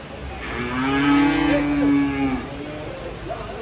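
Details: Cattle being unloaded from a truck give one long, steady, low moo lasting about two seconds, swelling then fading, over a quiet background.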